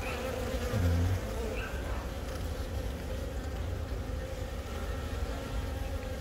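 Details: Honey bee colony in Yongin Baekam, Korea, on April 20, with a newly mated queen from the year's first natural swarm laying eggs; recorded on a phone. Steady low droning hive buzz with a mid-pitched hum band and a brief man's voice.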